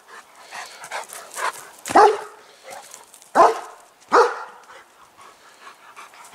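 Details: On the island of Bornholm in the afternoon, a German Shepherd gives three loud, deep barks a second or so apart, calling wild pheasants in from the fields and woods for feeding.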